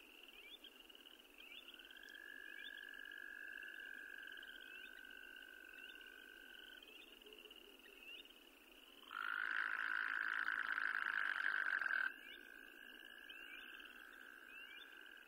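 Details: Distant trills from endangered Wyoming toads run through the clip. Near the middle, one loud, steady, buzzy trill lasts about three seconds before cutting off, and the quieter trilling then resumes.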